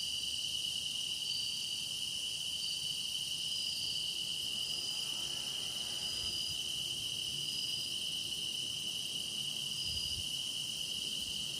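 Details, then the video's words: Steady, deepening chorus of grass insects for meditation: a shrill continuous ring with a bright core tone, occasional faint higher whistled notes floating over it, and a soft low rumble briefly near the end. "깊어가는 풀벌레 노랫소리"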